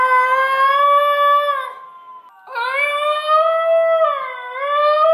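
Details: A basenji yodelling along indoors with a played recording of another basenji's yodel: two long, sustained, harmonic-rich wavering howls, the second sliding up and down in pitch, separated by a brief dip.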